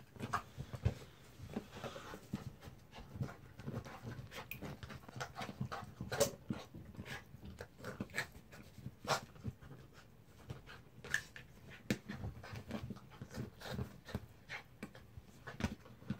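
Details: Jack, a mixed-breed dog, keeps up steady, fast panting throughout while tussling with a baby zebra, with soft rustling and thumps mixed into the breathy rhythm.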